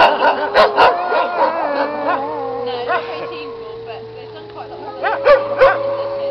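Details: Several wolves of one pack singing together in an older recording: layered sustained howls holding steady pitches, with bursts of yipping and yelping early on and again near the end.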